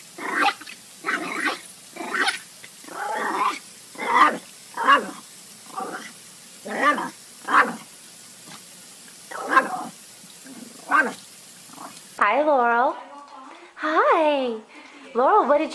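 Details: Dog giving a long run of short, grumbling, throaty vocal bursts about once a second, then after a cut a series of higher, wavering whine-like sweeps rising and falling in pitch.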